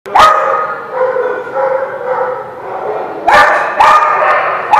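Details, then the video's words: Dogs at a place called the Barking Lot, recorded 13 March 2017, giving sharp barks at the start and in a quick cluster near the end, with drawn-out howling whines sustained between them. "The Barking Lot"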